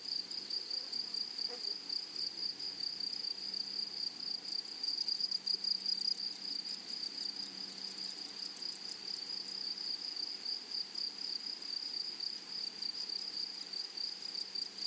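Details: Grasshoppers singing in a flowery prairie meadow, a dense, high, steady zinging buzz with quick flickering pulses that grow stronger in the middle, plus one brief faint sweeping sound early on.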